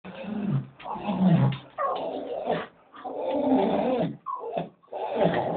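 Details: A Staffordshire Bull Terrier waiting to go for a walk makes low, grumbling, moaning noises in long rising and falling bursts, with a Doberman joining in.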